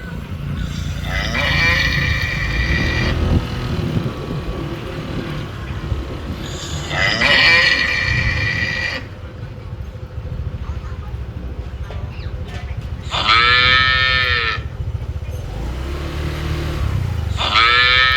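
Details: Cattle in Phnom Penh, Cambodia, mooing over a steady rumble of traffic and motorbikes. Four rich, droning moos each last one to three seconds, separated by stretches of road noise.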